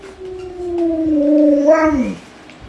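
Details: Pet Alaskan Malamute named Luoluo responding to its bedridden, sick owner: a drawn-out howl that slides slowly lower, swells louder, then falls sharply at the close, over faint indoor room noise.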